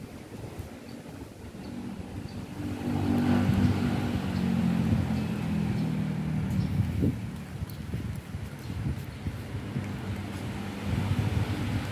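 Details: Low vehicle rumble with wind and faint outdoor background noise; no clear animal call stands out.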